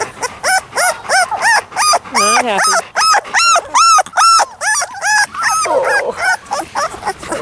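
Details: Labrador Retriever puppies on their first day on the lawn, unhappy, 28 October 2013: a rapid run of high, arching whines and yelps, overlapping and repeated more than twice a second, with a person's voice talking to them.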